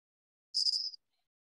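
A mud crack field cricket gives one quick, high, pulsed chirp of rapid trilled beats.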